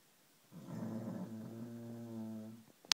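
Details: A snoozing dog, Camy, draws one long, buzzing, droning snore lasting about two seconds, steady in pitch with a rich hum, ending with a sharp click.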